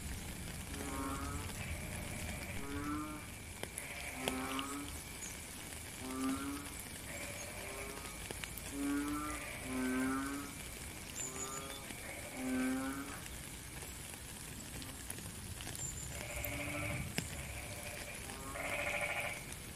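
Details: Frog chorus in the rain, recorded in nature: rough, pulsing croaks of about half a second follow one another every second or so, with brighter, higher buzzing notes late on and steady rain hiss throughout.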